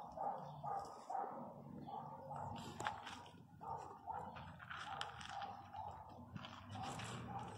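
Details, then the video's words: Angry miniature pinscher puppy crying loudly among littermates; short nasal whimpers repeated about twice a second over a low rumbling growl, with an uneven rhythm and occasional sharper bursts. "Filhotes de cachorro pinscher mini bravo puro ódio"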